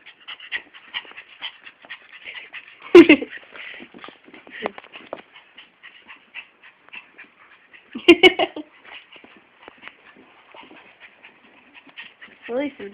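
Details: Fast, shallow panting from Fiyero, an attention-hungry Chihuahua–Miniature Pinscher mix kept as a pet, runs as a string of quick airy puffs, broken twice by loud squeaky whines and a rising whimper at the end.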